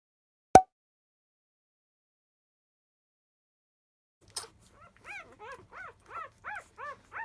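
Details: Five-day-old field-line Labrador Retriever puppies fussing as they start to nurse, born to the 2017 JFA grand champion Biscuit; after a sharp click and a pause, short arched whimpers repeat about every third of a second.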